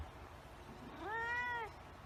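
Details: Single meow from a white cat, shorter and softer, arching slightly upward then falling, over a faint background hiss with a few low murmurs before it.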